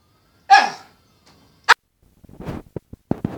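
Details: Pet Cairn terrier indoors giving one loud, rough bark, then a short sharp yap a second later, followed by soft snuffling and light clicking noises.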